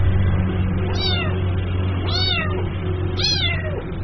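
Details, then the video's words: Kitten calling its mother: three fainter meows, each rising and falling, about one second apart, partly masked by a steady broadband hiss and low hum. "SUARA ANAK KUCING MEMANGGIL INDUKNYA"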